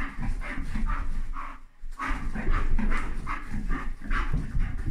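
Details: Young Bull Terrier urging its just-woken mother to play in the morning; rapid throaty grumbling pulses, roughly two to three a second, with a brief pause midway before the rasping chatter resumes.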